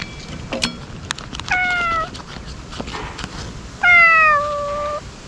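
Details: Ear-tipped stray cats cry out as they wait to be fed. A sharp click is followed by two clear, tonal meows, each slightly falling and held about half a second to a second, with the second louder. Soft outdoor hiss underneath.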